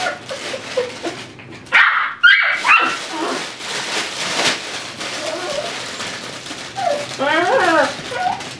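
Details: Dhali, an 8-week-old Tibetan Terrier puppy, playing indoors in his x-pen among toys. Short rising and falling yelps and whines come in bursts, with a stacked series of quick yips near the end and toy rustling throughout.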